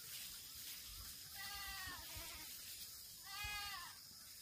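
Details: Black goat on a Gimhae farm in South Korea, September 2024: two fairly faint, slightly arched bleats about two seconds apart, the second louder, over constant hissing background noise.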